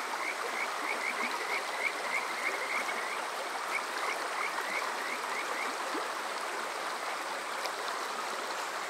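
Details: Summer-night Kajika frog at Yokoze in Chichibu, Saitama, Japan, captured with a TASCAM DR-05X: rising whistled notes repeated about three per second in a chorus, fading after a few seconds into loud stream noise.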